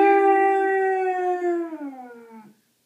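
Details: Pet dog howling along with the howling at the end of a tech show it loves watching: one long, clear, harmonic-rich howl held steady, then sliding downward and fading out after about two and a half seconds, no other sounds.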